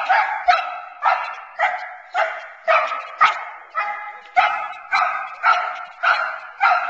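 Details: Nine-month-old Boerboel female, Teal, during sleeve protection work meant to keep her focused on the man; a long run of rough, forceful barks, about two per second, fairly even in rhythm.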